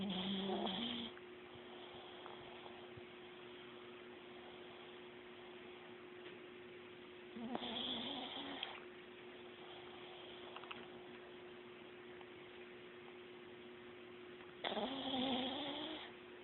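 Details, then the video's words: Chihuahua asleep and snoring: breathy wheezing snores about seven seconds apart, with a steady hum underneath between breaths. "Snoring Chihuahua"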